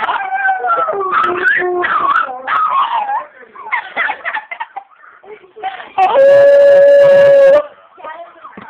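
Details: Two pet dogs, Molly and Shadow, singing indoors in a loud, wavering howl duet, the pitch sliding up and down in overlapping voices, breaking off briefly, then one long steady high note held for about two seconds.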